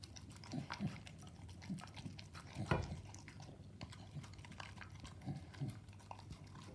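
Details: A Staffordshire Bull Terrier eating raw meat mixed with dog food chews and smacks wetly, with irregular crunching and lapping noises.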